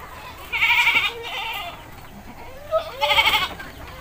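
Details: Domestic goat in a village being bathed, giving two loud, nasal, wavering bleats, the first about half a second long, the second after a pause of roughly two seconds, over quiet rural background noise.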